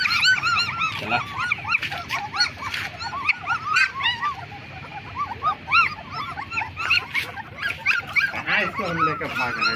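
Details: Litter of black German Shepherd puppies aged 20 days whining continuously: many overlapping high, curved yelps at a fast, uneven pace, with human voices talking in the background.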